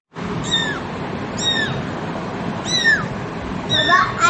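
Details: Domestic cat, a mother with her kittens: four high, thin mews spaced about a second apart, each sliding downward, over a steady background hiss.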